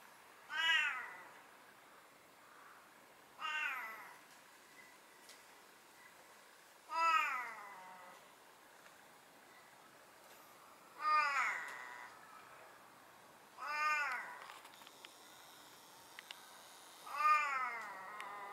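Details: A tuxedo-patterned (hachiware) domestic cat, said to meow a lot, gives seven drawn-out, arching meows spaced about three seconds apart against quiet indoor background.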